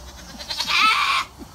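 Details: Goat screaming during a bath, one strained, nasal bleat lasting about three quarters of a second with a quavering tone, followed by quiet room noise and faint splashing.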